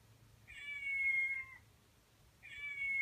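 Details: A male Persian cat gives two sustained, high, drawn-out meows, each about a second and falling slightly at the end, calling to a cat he has taken a liking to in an online video.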